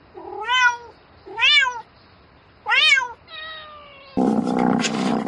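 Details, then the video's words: Domestic cat meowing at night to call for a mate: three loud rising-then-falling meows, followed by a longer, flatter drawn-out cry, then a burst of rustling noise. "Tiếng mèo kêu Gọi Bạn Trong Đêm Meo Meo Từng Hồi"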